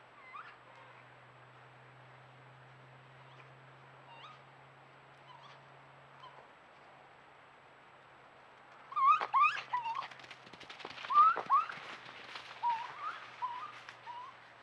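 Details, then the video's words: Raccoons on a trail camera: a quiet start with a faint low hum and a few soft chirps, then from nine seconds a burst of high, wavering chittering calls with scuffling clicks, trailing off into scattered chirps. "Listen to these raccoons (wait until end)"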